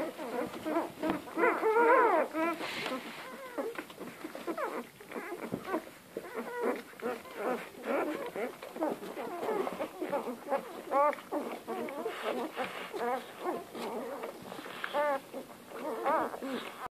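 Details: Hungry Komondor puppies calling, many overlapping high whines and squeaks, rising and falling, repeated continuously throughout with short yelps mixed in.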